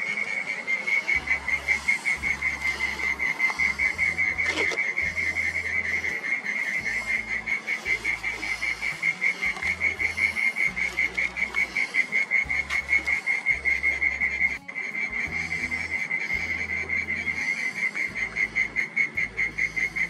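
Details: In a garden at dusk, a burrowing mole cricket sings a steady, high, buzzing trill that runs on without pause; it sings from twilight into the night, heard but unseen.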